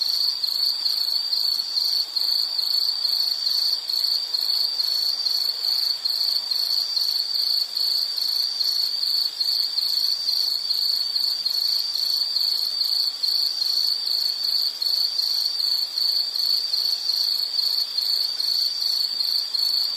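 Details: Soothing insect night sound: a high, metallic chirping trill running continuously for twenty seconds, pulses roughly two to three per second, steady volume with faint upper overtones.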